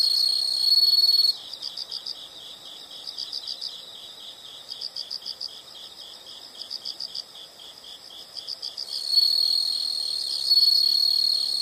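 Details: Insect sounds: a brief loud high trill gives way to softer rhythmic chirping, about four pulses per second in bursts, then the steady high trill returns toward the end over faint background hiss.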